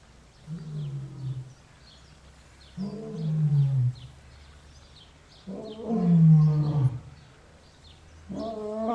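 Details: Lion giving four long, deep moaning roars, each about a second long with stacked low harmonics, spaced roughly every two and a half seconds, with quiet gaps between them.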